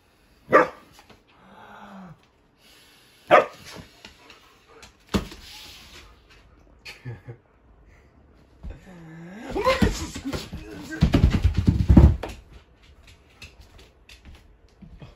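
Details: Indoor Siberian Husky, male, objecting to air blown on him: sharp barks near the start, a low sliding whine, then a long rising and falling howl-like grumble, with some breathy noise and a person's voice faintly present.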